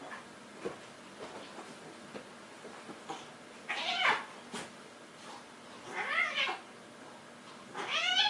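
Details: Domestic cats play fighting loudly: soft scuffling taps and thumps, then three drawn-out, wavering yowls with arching, bending tones, each under a second long, the last one climbing higher and louder at the end.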